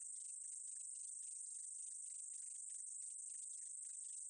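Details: High, unbroken sizzling drone of a meadow katydid from a 2020 National Institute of Biological Resources recording, with quick, uneven ticking pulses running beneath the constant hiss.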